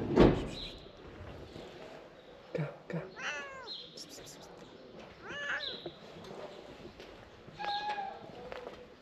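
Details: Tabby cat calling out to people after seeing its frightened stray friend; a few short, falling meows with bright overtones rise from a quiet background with scattered knocks and bumps.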